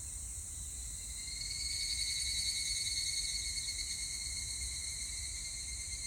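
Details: Evening cicada song from 25 July 2019: an unbroken shrill, ringing insect drone with rapid fine pulsing, swelling louder in the middle then easing, with low background hum.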